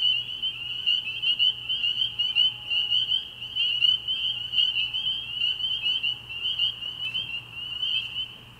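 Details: High, ringing peeps of many spring peepers merge into a constant shrill chorus at a frog pond on an early spring night, with nearer callers pulsing louder in quick irregular bursts.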